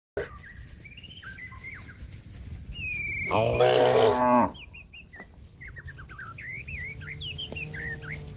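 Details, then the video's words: A cow calling to a companion grazing in the field: one loud, drawn-out, harmonic moo lasting about a second, with small birds chirping and trilling before and after. "suara sapi lembu memanggil kawan yang lagi makan rumput diladang the sound of a cow calling a friend"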